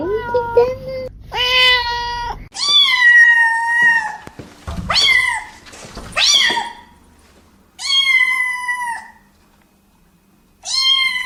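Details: Several domestic cats meow in turn, a mix of long level cries and rising-then-falling wails, some overlapping, with brief pauses between calls in a small indoor space.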